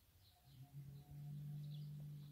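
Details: One deep, steady moo from Berrenda en Colorado cattle, tame cows kept with their breeding bull, rises in loudness and holds to the end.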